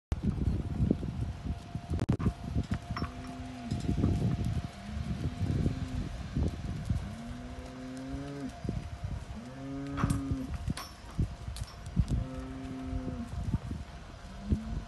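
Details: 24-month-old Limangus bulls offered for sale: a series of deep lowing moos with wavering, harmonic-rich tones, several in a row roughly every two seconds, over low background rumble and clatter.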